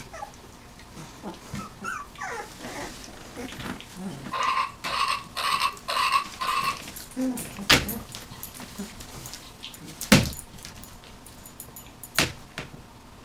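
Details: Nineteen-day-old puppies squeal: three or four loud, clear, tonal yelps in quick succession mid-clip, with fainter squeaks before and after, plus knocks and rustling.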